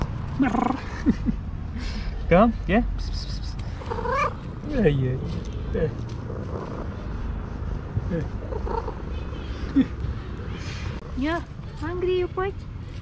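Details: Female house cat giving meows mixed with trills: several rising-and-falling mewed calls and brief chirps, spaced irregularly across the stretch, with a person's voice murmuring in between.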